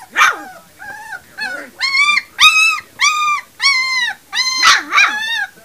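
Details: Puppies three weeks old cry in drawn-out, nasal whines, each held about half a second and repeated in a steady series, opening with a sharper squeal.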